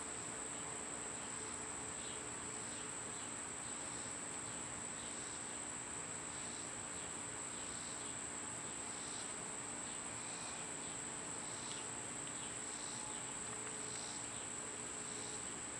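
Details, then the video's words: Cicadas singing outdoors in summer, when they are loud: a steady, shrill high drone runs unbroken through the whole stretch, over a softer pulsing buzz that repeats roughly every second and a low background hum. "Cicada sounds"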